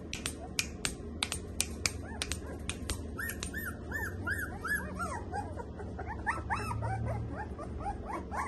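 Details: Samoyed puppies from Delhi, India, KCI registered; crisp finger-snap clicks open the recording, then several puppies give overlapping high arched yelps and whines against a steady low rumble.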